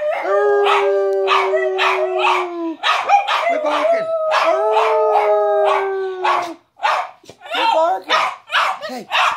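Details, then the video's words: Two dogs howling, with long steady howls of about three seconds each and rapid barks running underneath. The howling breaks into yelps and barks toward the end, while a man tells them to quit barking. "dog howling"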